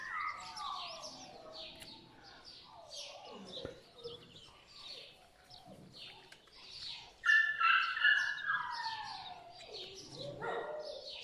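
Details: Litter of puppies born to My Black Butterfly and Bayleys whimpering, with many falling, whistled squeaks overlapping; the cries swell into a louder burst of shrill squeals partway through, then settle back into steady whining.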